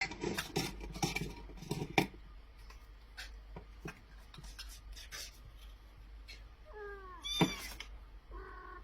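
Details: Domestic cat from a funny cats and kittens compilation, heard indoors: clattering and knocking household noises come first, then a short, falling, harmonic meow near the end, followed by a fainter second mew.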